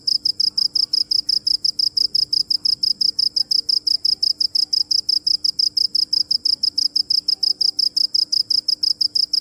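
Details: Rapid, regular chirping from a cricket: a bright, shrill pulse repeated continuously at an even beat with no breaks. Only a faint low hum lies underneath.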